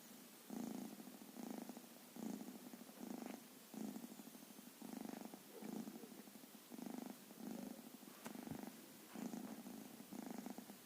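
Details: Young black-and-white cat asleep on a blanket, snoring loudly and undisturbed when touched; soft rasping breaths repeat about every second and a half, steady and even, with a quiet room behind.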